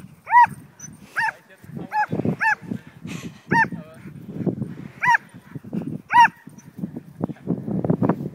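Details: Female Border Collie mix barking excitedly while herding a kite flown overhead, worked up until she lost her voice: about eight sharp, high, arched barks spaced roughly half a second to a second apart, with low rustling and panting between.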